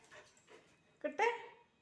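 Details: German Shepherd puppy, angry at not being given food, gives a short rising whine-like yelp after soft faint noises, with a brief sound at the end.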